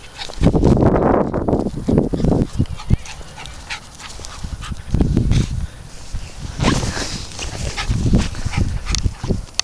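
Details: Dog out playing outdoors, giving several loud, rough bursts of barking spaced a few seconds apart, with rustling and handling noise between them.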